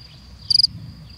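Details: A male European field cricket (Gryllus campestris) calls in spring in the Creuse countryside to attract a female, using its burrow as a resonating chamber. It gives a brief, shrill chirp of four rapid pulses.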